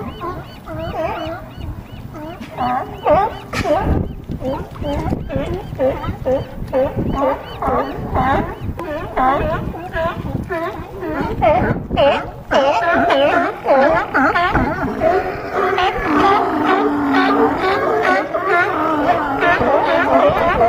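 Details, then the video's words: A crowd of California sea lions on a harbor dock at Crescent City, California, giving continuous loud, nasal, honking barks in quick succession, many animals overlapping into a raucous chorus that builds toward the end. "California Sea Lions"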